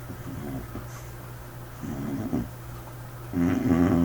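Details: White dog sleeping with a peculiar snore; soft breathing rumbles and a faint rattle early on, then a louder, throaty growling snore at the end.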